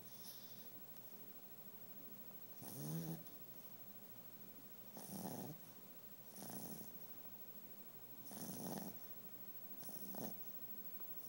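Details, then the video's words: Female pet dog asleep indoors, snoring in loud rhythmic bursts, five rough throaty breaths spaced roughly two seconds apart, each a short rasping swell over a quiet room hum. "My dog snoring"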